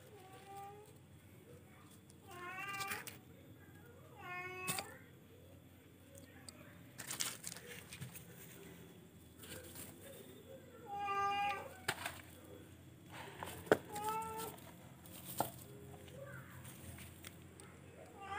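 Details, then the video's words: Charcoal F1 cat meowing indoors: a series of scattered, drawn-out meows, some rising and falling, interspersed with clicks, knocks and other handling noises over a low steady hum. "charcoal kucing f1"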